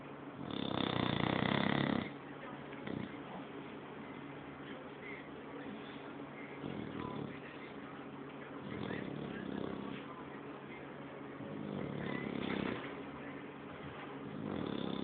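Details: An English Bulldog asleep, giving one loud, harsh snore at the start, followed by a run of softer, irregular snoring breaths.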